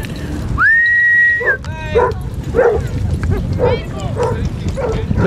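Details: Basset Hounds on a group walk of 24 dogs along Burnham and Berrow beach, Somerset, on 2 February 2014: a high held howl-like note lasting about a second, then a run of short yelping barks, over wind and surf noise.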